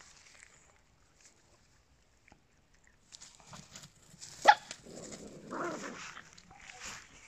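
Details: Small dogs, Papillons and a Yorkshire Terrier, after quiet seconds give a single sharp high bark, followed by softer yelping, whining sounds and faint rustling.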